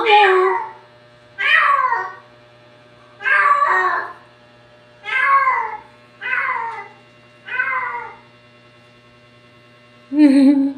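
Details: Household cats talking: a series of six clear, falling meows spaced about a second and a half apart, then a lower, shorter mew after a pause.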